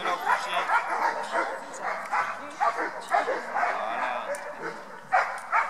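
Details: Beauceron Oz du Fond des Camps, a four-year-old female, at a dog training gathering: sharp barks repeated about twice a second in uneven bursts, with people talking nearby.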